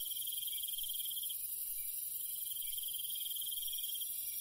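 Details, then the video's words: Night countryside crickets: continuous high-pitched trilling with one louder pulsed trill running about a second, a short pause, then resuming, layered over a constant shrill insect hum. "Countryside night bug sound ASMR - cricket sound"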